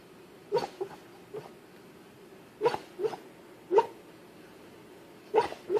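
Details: A dog dreaming in its sleep gives short muffled woofs and yips, about seven soft bursts in under six seconds, in two loose clusters separated by a quiet pause, each a brief mid-pitched yelp.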